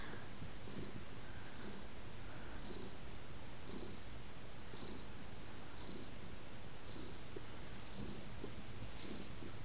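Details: Lap-snuggling house cat named Teddy gives a steady, low purr, rhythmically pulsing with his breathing about once a second, close and unbroken throughout.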